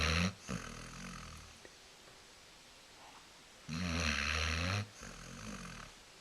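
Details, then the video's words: A female Basset Hound, lazily dozing on a couch, snores in loud, rumbling bursts, each breath harsh and raspy, with quiet gaps between. "Snoring Basset Hound"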